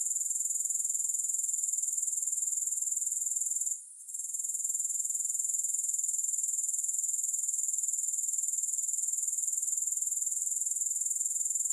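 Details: Grasshoppers in a continuous, very high-pitched shrill trill made of rapid even pulses. The trill breaks off briefly near the four-second mark, then resumes unchanged. No music or other sounds.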